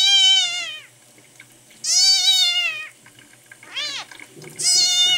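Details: Newborn male red tabby and white kitten named Miel, rescued at one day old, on its tenth day in care, sick and dehydrated and refusing milk; four loud, high, strongly harmonic meows, drawn-out and slightly falling, spaced about every 1.5 seconds.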